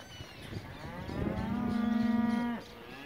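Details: One Angus calf from a lot of fifty weanlings of about 200 kg, destined for a 21 December sale at Junín, gives a single long steady moo, about one and a half seconds, level pitch ending abruptly, faint other calves behind.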